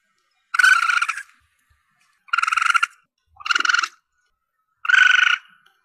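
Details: Calls of a young Asian palm civet, used as a hunting lure. Four buzzy, rough squeals of about half a second each, spaced a little over a second apart, in otherwise quiet surroundings.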